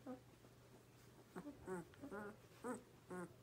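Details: Twelve-day-old Borzoi puppy whimpering indoors: about five short, nasal, wavering squeaks in three seconds, each rising and falling slightly, with quiet room noise and a low steady hum.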